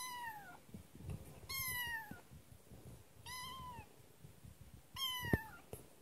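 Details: Young kitten Kotetsu, just brought home, giving four clear, high-pitched meows that bend downward at the end, roughly one every one and a half seconds, over soft indoor rustling and a brief knock.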